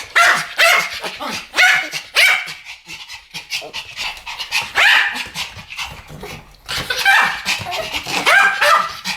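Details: Pomeranians in a barking duet: rapid, piercing yaps tumbling over one another in dense clusters, a brief lull midway before another frantic run of barks.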